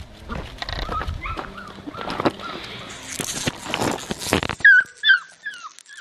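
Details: Blue merle male Australian Shepherd puppy giving soft falling whimpers, faint at first under handling noise and rustling, then a few clearer high whines near the end in a quiet room.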